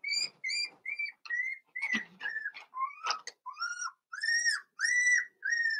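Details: Four-week-old Cavalier King Charles Spaniel puppies in an indoor home puppy pen, whimpering: high, thin whistled whines, some arching up then down, others flatter, about a dozen in quick uneven succession with brief gaps between.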